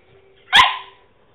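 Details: A single short, husky bark from a male French Bulldog who is trying to bark. It is explosive at the start and trails off quickly, with a faint steady hum in the background.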